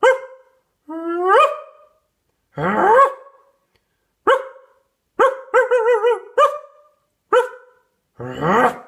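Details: Loud dog barks, about eight sharp rising yips and woofs spaced irregularly, with one longer wavering yelp in the middle and a couple of harsher, rougher barks.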